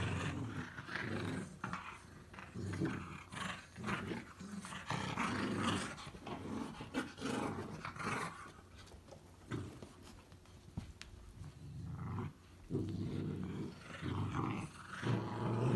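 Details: A mini pocket beagle puppy and an English springer spaniel puppy growl playfully at each other in low, rumbling bursts while playing.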